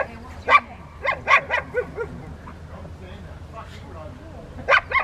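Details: Barking at Victoria Rottweiler Club on May 2, 2021, during distraction work in Rottweiler obedience training with Freya vh Odoms, Poncho and Peaches: a quick burst of four barks, a pause with talking, then two more barks at the end.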